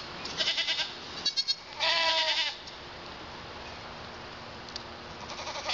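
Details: Young male pygmy goat kids, born February 27 and not yet fully weaned, near London, Arkansas: a short burst of quick bleats, then one clear, strained, wavering bleat lasting under a second, followed by quieter background noise.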